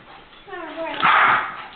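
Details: Heiko, a pet dog, barks once on a rainy day while guarding against a ball found in the street: one loud, harsh burst that follows a rising yell, with children's voices and people talking over it.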